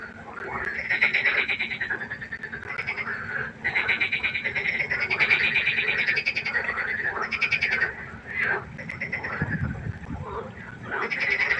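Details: A nighttime pond frog concert of dense, grating pulsed croaks from many overlapping callers, rising and falling in waves with short pauses. A low thump is heard near the end.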